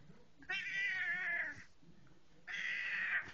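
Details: Indoor pet cat chattering at its owner arriving home, giving two long, steady, bright meows about a second apart, separated by a pause, with the owner speaking softly.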